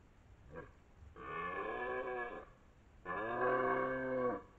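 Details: A 12-point red deer stag (Cervus elaphus), the dominant stag of the area, gives two long, deep, moaning roars during the 2023 autumn rut near Lartigau, Milhas, in southern France.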